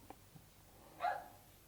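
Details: One sharp, bright, mid-to-high bark from one of the next-door fox terriers at night, heard from a townhouse bedroom across a shared colour-bond fence, with faint background hush and soft knocks early; ongoing neighbour barking problem since April 2014.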